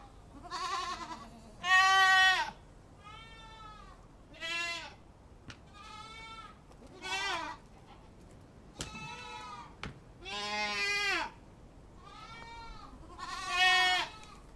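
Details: Goats bleat repeatedly, about ten harsh, quavering calls in fifteen seconds, alternating loud and softer, with a couple of sharp clicks between them.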